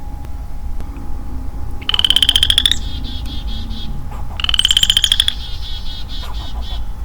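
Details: Lone male western chorus frog in early-spring woodland, 4 April 2022: two rising, comb-like pulsed trills, each just under a second, about two and a half seconds apart. Faint chirps from other woodland creatures follow.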